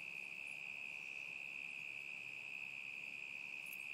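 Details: Crickets in summer 2010 sustaining a single level high trill for four seconds, even in volume, with a tiny high tick near the end.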